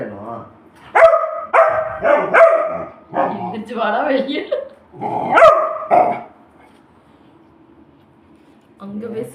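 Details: Labrador Retriever kept as a pet, demanding food indoors with a run of about six yelping, drawn-out barks over six seconds, some overlapping a person talking back, then a pause and one more short sound at the end.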